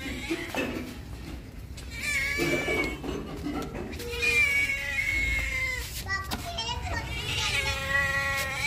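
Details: Hungry domestic cat, around the time it drinks milk, giving several drawn-out harmonic meows, some falling in pitch, spaced through the clip while a person talks to it in Punjabi, coaxing it to come.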